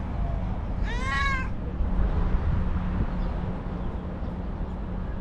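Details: Angry, nervous white female house cat giving a single clear, drawn-out harmonic meow that rises then falls, followed by quiet with a constant low background hum.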